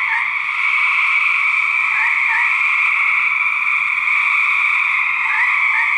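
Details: Male gray treefrogs fighting in a research recording: continuous overlapping buzzy trills in two steady bands, one high and one mid-pitched, with brief rising chirps near the start and end.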